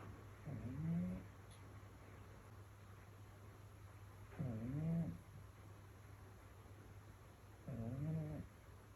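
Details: Sleeping house cat snoring on a rainy evening, three slow snoring breaths roughly every three and a half seconds, each a short grating, low, wavering drone, with steady faint hum in the background.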